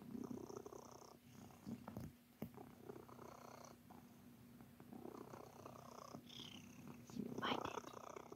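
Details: Pet cat Sir Titan kneading and purring; rhythmic low purr in breath-paced bursts, with brief rustles and a soft clatter near the end.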